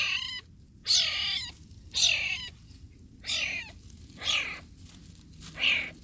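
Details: Wild cat kitten from Borneo, Sei Cuka, calling; six strained, harmonic mewing cries about one per second, each with a rising then falling tone, over a quiet background.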